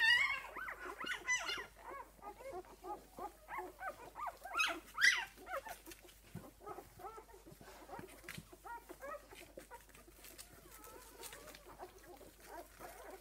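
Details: Newborn puppies, six days old, with their mother Esmée: loud squeaky whines and a sharp yelp open the recording, then the chorus of small arched whimpers gradually fades to quiet scattered squeaks.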